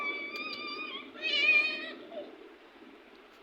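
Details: Domestic cat at play gives a drawn-out, harmonic-rich meow that swells and rises to a brighter, louder peak midway, then fades into a soft hiss of background noise.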